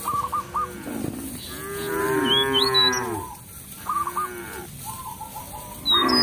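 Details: Cattle in a village field calling companions back to the pen: one softer, slightly rising and falling moo, with birds chirping and whistling clearly around it.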